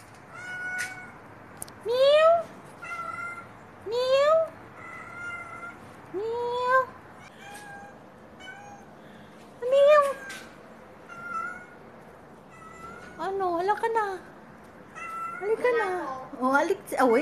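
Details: Stray cat giving a series of loud, drawn-out meows, each rising then falling, repeated every two seconds or so, later turning into quicker, wavering cries near the end.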